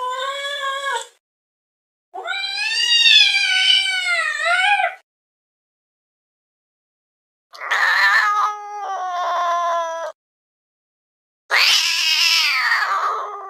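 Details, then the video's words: Domestic cat making weird sounds: a short wail, a long wavering yowl of three seconds, then a pulsing stuttered moan and a harsh rasping cry, with silent gaps between. "this weird sound is from a cat"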